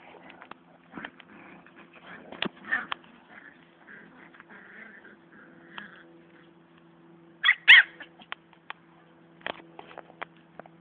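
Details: Siberian husky puppies fighting: scattered short high yips and whimpers, with a louder pair of sharp yelps near the end, over a low steady electrical hum.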